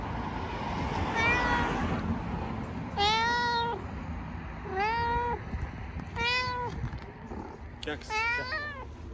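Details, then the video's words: Stray cat in Istanbul meows repeatedly: a faint call, then four stronger harmonic meows about every one and a half seconds, the last rising sharply, over low city noise. "Cute talkative cat meows unbelievably"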